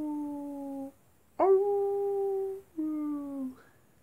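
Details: Night-time wolf howls: a steady held tone that ends, then a strong howl that swoops up and sustains for over a second, followed by another slightly falling howl that fades out.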